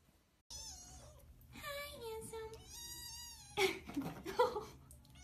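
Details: Domestic cat meowing indoors, several drawn-out harmonic meows that rise and fall, with a person talking affectionately over them and a few louder rustling sounds near the end.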